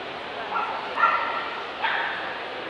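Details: Dobermann at the 2012 Belfast Dobermann Dog Challenge: two short, tonal, yelping barks about a second apart rise over a steady murmur of crowd chatter in an indoor hall.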